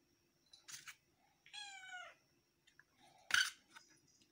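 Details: Domestic cat meowing indoors: a short harmonic mew, then a longer, slightly falling meow with clear stacked tones, followed by a sharp click or clatter and faint rustling.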